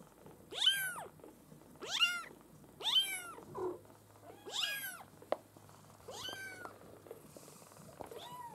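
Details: Maine Coon kitten litter, the U litter of a breeder, calling loudly: about seven sharp, high arched mews in quick succession, one soft thump in between, and a faint low hum.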